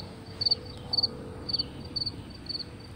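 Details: A cricket hidden somewhere in a garden gives high, thin chirps of three quick pulses, repeated about twice a second.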